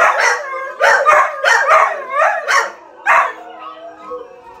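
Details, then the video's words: Pet dog howling in response to videos meant to make dogs howl: a rapid series of short, harmonic, wavering yowls in quick succession, a pause, then one more yowl and a quieter trailing tone over a faint steady hum. "Dog howling test."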